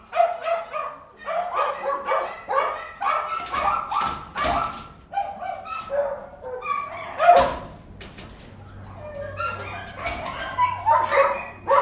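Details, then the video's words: Many dogs in a kennel barking together, a busy run of sharp, ringing barks and yips coming in quick bursts, with some metallic clanks and a calmer stretch of softer whining barks near the end. "Interior de perrera"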